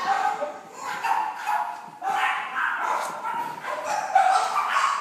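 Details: A cream-white female French Bulldog puppy, born in May 2013, whines and whimpers in a continuous string of nasal, wavering cries, with faint voices in the background.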